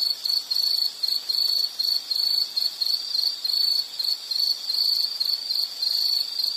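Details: Insect chirping in a nature recording, short shrill bursts on one high note repeated roughly twice a second with clear gaps between them, soft hiss behind.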